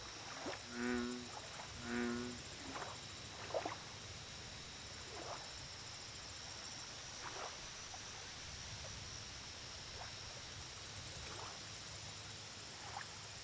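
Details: American bullfrog at a lake producing two deep, twangy croaks close together near the start, followed by scattered faint frog chirps, a persistent high insect whine and low ambient rumble.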